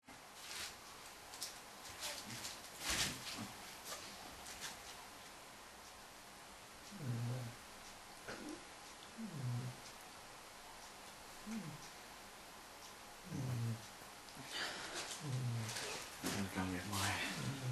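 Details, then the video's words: Irish Wolfhound puppy, five months old, napping while a Great Dane cross lies on it as a cushion, snoring in low, rumbling breaths repeating every one to two seconds, with occasional clicks and rustling of movement in between. "Irish Wolfhound puppy snoring"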